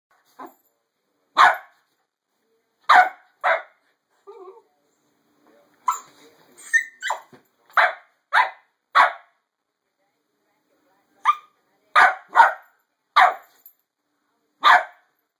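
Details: A 7-month-old Corgi, pouncing at feet under bedcovers, barks in short, punchy bursts, singly and in quick pairs, separated by brief gaps, with a few faint soft grumbles between.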